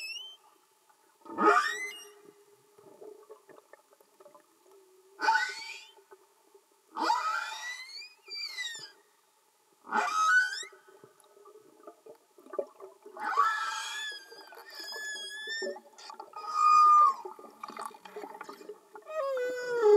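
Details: Underwater humpback whale song, no music: a series of short upsweeping whoops and chirps repeated every two to three seconds, followed by a stretch of overlapping squeals and warbling high tones.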